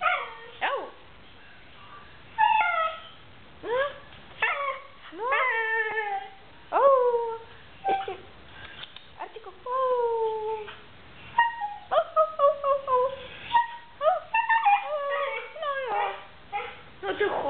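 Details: A female Siberian Husky gives short, yodelling woo-woo howls that swoop up and down, answering her owner, who asks her to talk and tell what she did at home.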